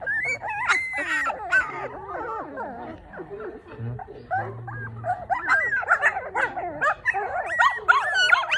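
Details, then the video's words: Four newborn Maltipoo puppies whine and squeal, a loud burst of high cries, then a quieter stretch with a low hum, before the wavering squeaks build again to the end. "マルプー マルプーちゃん4頭産まれました"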